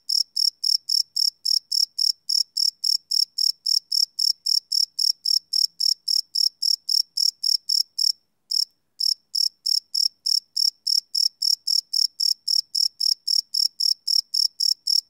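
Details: Night-time cricket chorus captured live on a Sony PCM D100, no loops: rapid high chirps repeating nearly four times a second, steady and bright, with one brief half-second pause near the middle, nothing else audible.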